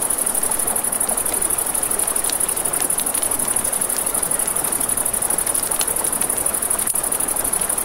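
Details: Nighttime crickets by a river keep up an unbroken, shrill pulsing trill, while flowing water hisses beneath and a campfire crackles with sharp snaps, one louder pop near the end.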